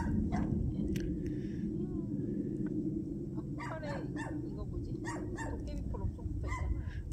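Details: Country puppies met on a winter walk near Taean, Korea, very happy to see people: a few short, rising whines and yips scattered over steady low wind rumble, with people talking softly nearby.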